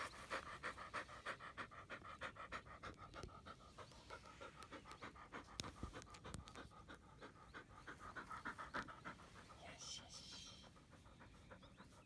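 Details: Labrador Retriever panting during a morning frisbee training routine of walking, stretching and throwing; quick, regular breathy pants about three per second, with some handling noises and a brief louder rustle near the end.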